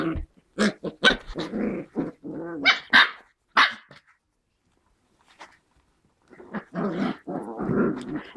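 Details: White German Spitz (Großspitz) puppies, seven weeks old, playing and giving sharp barks and gruff growls in quick clusters, then a pause of near silence before more rasping growls resume.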